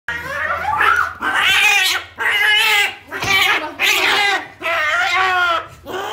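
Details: Cat at a veterinary clinic in Algeria, refusing to eat, gives five drawn-out, strained yowling calls about a second each, separated by brief pauses, with harmonics wavering through each cry in a small indoor room.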